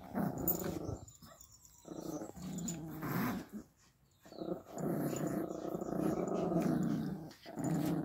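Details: Playful Pomeranian puppies and dogs tussling on a bed, producing a near-continuous low rolling growl that breaks off briefly and resumes, with soft rustling of bedding.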